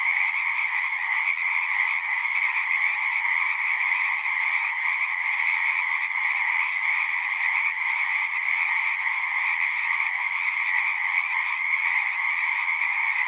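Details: A steady, massed chorus of singing frogs, a relentless shimmering trill layered in two bright bands, continuing evenly from start to finish without breaks or other sounds.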